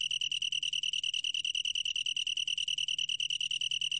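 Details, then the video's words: Long-tailed tree cricket trilling: a high, pure tone broken into fast, evenly spaced pulses, about eleven per second, steady in volume across the few seconds. "긴꼬리, 여러번 듣기, 곤충소리"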